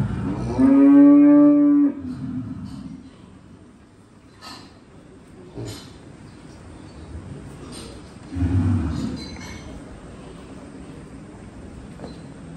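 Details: Sahiwal cattle at Buddu Cattle Ranch, Keraniganj: one loud, steady, harmonic-rich moo of about a second and a half near the start, a shorter lower moo around eight seconds, with low farmyard murmur and scattered clatter between.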